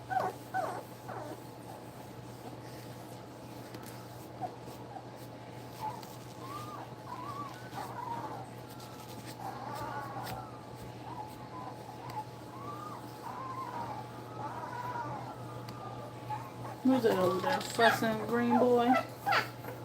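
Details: Nursing puppies just two weeks old whimper softly in short rising and falling whines through the middle, then burst into a louder cluster of squeals near the end.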